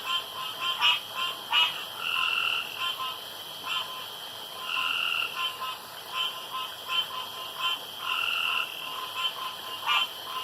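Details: Male frogs at a dark pond vying to out-croak each other; sharp pulsed croaks mixed with several sustained, twangy harmonic calls, irregularly spaced, over a faint steady background drone.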